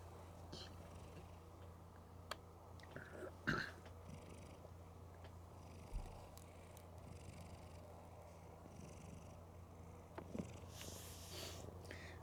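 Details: Mookie, a female cat, snoring loudly while asleep with her eyes open; a steady low rumbling drone runs throughout, broken by a few sharp clicks and soft rustling bursts.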